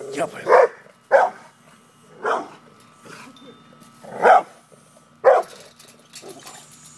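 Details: Pit bull barking while confronting a cat: five loud, short, deep barks spaced about one to two seconds apart, with quiet pauses between them.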